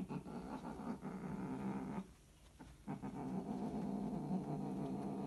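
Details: Scottish Fold cats mating: a loud, low, drawn-out growling yowl with rich harmonics, held steadily, dropping away briefly around the middle before resuming just as strongly to the end.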